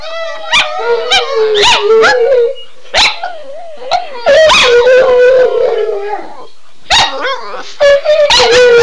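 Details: {'caption': "Two pet dogs howling in excitement after their owner's cue phrase; sustained wavering howls around mid pitch, overlapping, broken by sharp yips and short barks, with a brief quiet gap mid-clip."}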